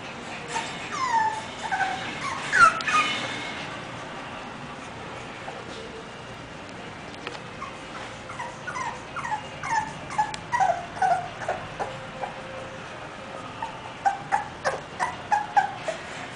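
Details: English Bulldog whimpering: a short louder burst of high whines early on, then a long run of thin, brief whimpers, some falling in pitch, repeated roughly three times a second with a steady background hiss.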